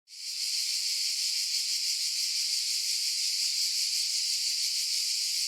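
Cicadas hold a steady, high, hissing buzz that runs without a break.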